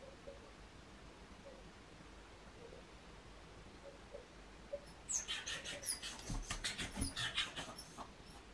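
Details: Female Miniature Pinscher with separation anxiety, left home alone. After about five quiet seconds comes a burst of rapid, high-pitched yelping barks, repeated several times a second for roughly three seconds, with faint low background hum.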